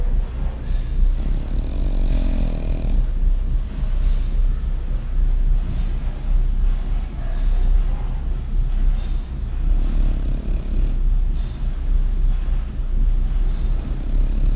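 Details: French Bulldog snoring steadily: deep, rumbling, rasping breaths repeating roughly once a second in an even rhythm, with a slightly louder snorting breath near the start.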